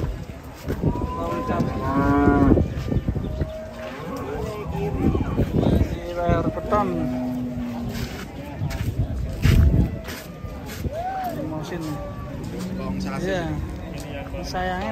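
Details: Big market cow that once reached one ton and had foot-and-mouth disease gives several low moos, some rising and falling, over fifteen seconds. People talk loudly nearby, with knocks and background bustle.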